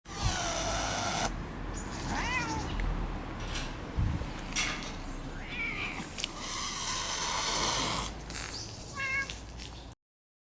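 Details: Park cats from rival families, an old cat family against young red tabby brothers, in a feud. Several short rising-falling harmonic meows around 1.5, 5.5 and 9 seconds over steady broadband outdoor noise.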